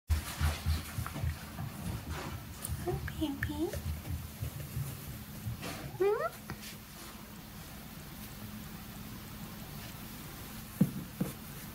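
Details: Buddy, a white tabby cat newly arrived at a transit foster home after his previous owner's sudden terminal illness diagnosis, gives two short meows, the second rising sharply, amid indoor room noise and human speech early on.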